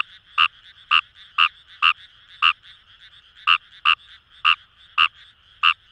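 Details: Paddy-field Fejervarya kawamurai from Itoshima, Fukuoka, Japan: sharp, rasping croaks in small clusters with a short pause midway, about ten in six seconds, set against a soft constant chorus of other frogs.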